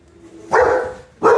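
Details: Frightened redbone coonhound calling for its big Doberman brother to defend it: two short, loud, hoarse barks, the second starting about 0.7 seconds after the first.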